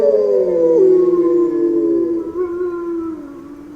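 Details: A short stretch of grey wolf howling: a higher howl slides downward into a steady lower tone, with a second fainter voice running beneath.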